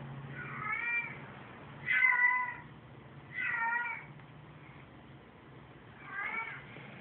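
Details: Domestic cats answering a "cat in heat" recording with four wavering, slightly descending meows spread over seven seconds, each about half a second long, with a constant low droning hum underneath.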